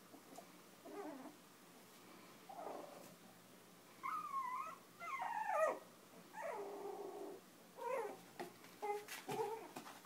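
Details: Chinese Crested puppies five weeks old, in foster care with their mother, playing and nursing; wavering high whines and squeals alternate with low rough growly grumbles, irregular bursts through a quiet indoor room.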